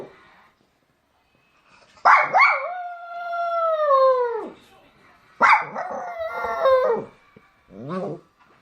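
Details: Puppy looking for its mother: two long, drawn-out whining howls, each starting sharply and sliding slowly downward before fading, then a short, lower whimper at the end, in a quiet room.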